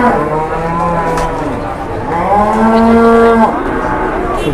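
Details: Big jumbo cow brought around to find a buyer gives a deep, level moo early, then a louder, steady, resonant moo lasting over a second, with low crowd noise behind.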